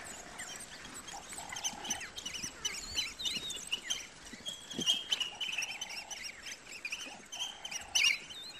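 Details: African wild dogs hunting a buffalo calf: high, bird-like chirps and squeaky twitters scattered irregularly through the clip, over a recurring lower, steady tonal note that sounds in short bursts every few seconds, against an outdoor background hiss.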